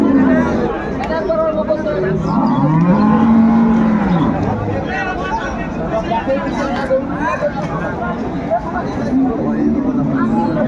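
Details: Cattle at Ambari Haat livestock market in Dinajpur, 21 March 2025, where cows and calves are sold: one long low moo that rises and then holds steady for about two seconds, over constant crowd chatter and market noise.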